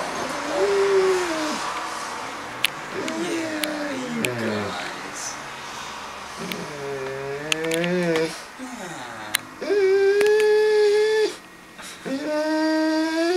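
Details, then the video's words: Harley, a dog visiting a cat named Puddles at a relative's home indoors, trying to coax the cat into playing: drawn-out harmonic whines and howl-like wails, rising and falling, broken by short pauses, with a woman talking softly. "Harley Tries To Talk Puddles Into Playing"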